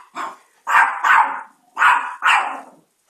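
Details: Chihuahua named Chico, wearing a diaper and urged on to go get someone, gives four sharp, harsh barks in two close pairs, each burst short and mid-pitched with a quiet gap between.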